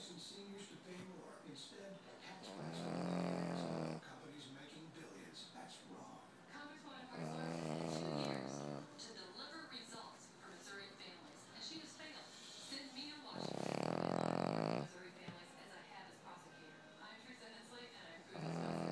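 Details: Pet Boston Terrier snoring loudly like an engine: rattling, buzzy snores about every five seconds, each lasting around a second, separated by softer, breathy exhalations.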